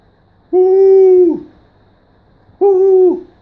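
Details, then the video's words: Siberian Husky talking in two long, steady, mid-pitched woo calls, each lasting under a second and ending in a brief downward slide, separated by about two seconds of quiet. "Talking with my husky"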